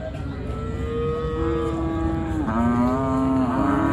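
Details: Cow at a village cattle market during unloading from the river side; one long, continuous moo lasting about four seconds, dipping in pitch halfway and then holding steady, with rumbling engine and crowd noise behind.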